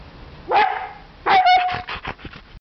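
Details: Pet Siberian Husky Cyrus 'talking' while he wants his sausage toy: two loud, harsh yelps with a whiny tonal core, a second apart, the second stretched and wavering, then softer trailing grunts.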